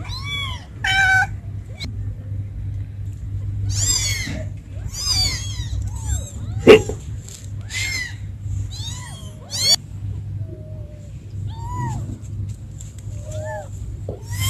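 Several kittens give high, thin meows, arched and repeated in quick bursts, calling for their mother.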